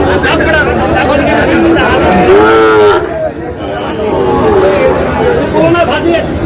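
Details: Market bellowing from Sahiwal breed bull calves in Dhaka, Bangladesh, recorded 8 July; short lowing calls break through overlapping human speech, shouting and crowd noise of a busy livestock market.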